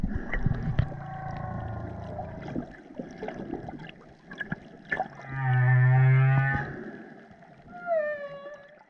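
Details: Humpback whale in the South Pacific, filmed in 2018 with curious calves close by, giving low moans, a loud droning groan, then rising whistled upsweeps.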